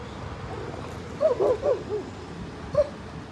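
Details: Siberian Huskies at a lake in a Colorado dog park, playing and swimming during a road trip: a short burst of high, bending whines and yips clustered together, then one more yelp after a pause, over low background rumble.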